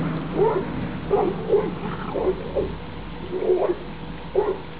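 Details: Labrador Retriever puppies from a 2011 litter, filmed outdoors together on their last day before going to new homes, 28 October 2011; short high yipping barks repeated about once a second, some with a rising whine, over low background hum.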